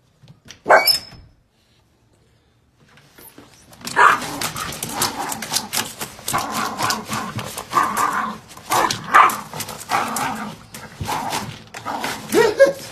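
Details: Female Yorkshire Terrier indoors attacking a package left by a delivery man she hates; after a near-silent gap, a dense run of sharp barks and growls repeats over rustling and tearing of the package.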